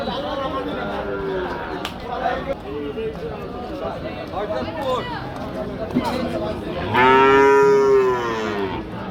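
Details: Cattle at the Hazratpur cattle market: crowd chatter and bargaining voices, then a loud, sustained, tonal moo lasting about a second and a half that slowly falls in pitch at its end.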